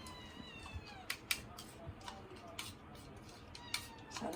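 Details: Komugi, a male Scottish Fold kitten born December 24, following its owner around the home: a soft, drawn-out meow with gently falling harmonics, then scattered sharp clicks and taps in a small room.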